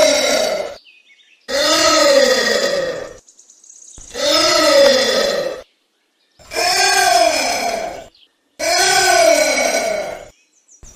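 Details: Anteater calling: five drawn-out harmonic, nasal calls, each arching in pitch and lasting about a second and a half, repeated every two to three seconds with silent gaps between.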